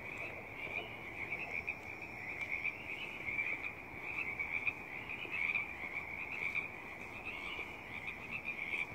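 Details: Pacific tree frogs calling together in the Stanley Park works yard on April 3rd; continuous overlapping croaks and trills forming a steady, slightly pulsing chorus over low background noise.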